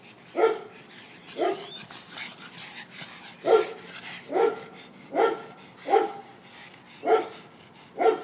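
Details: Dog playing in a garden gives a series of eight sharp, resonant barks, roughly one per second, with a brief pause after the second bark and soft background noise between them.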